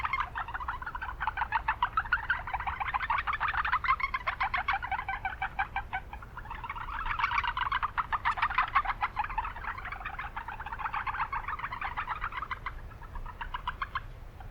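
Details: Chorus of Japanese brown frogs in an urban wetland with much background noise. Fast pulsed calls overlap in swelling waves, with short lulls near six and twelve seconds over a steady low rumble.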